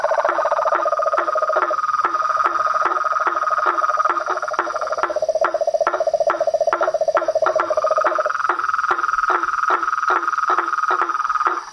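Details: Toads, frogs and tree frogs in nature. Two pulsed trills overlap, a lower one that stops near eight seconds and a higher one that pauses briefly and resumes, with steady ticking clicks throughout.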